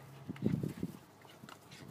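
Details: A three-month-old golden retriever puppy trying to get an older dog to play, letting out a quick burst of low, rough grunting growls lasting under a second indoors.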